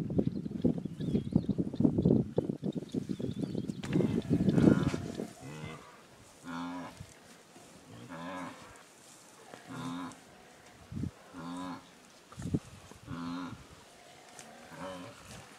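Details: An African elephant calf mock-charging a flock of guinea fowl gives low, moaning calls with a rich harmonic tone, repeated in short bursts, described as trumpeting.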